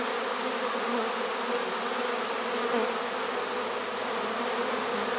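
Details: Honey bee swarm caught in a swarm trap on 1 September 2019, unusually late in the season: a dense, steady droning hum with a low buzzing tone, holding at one level throughout, under a constant bright hiss.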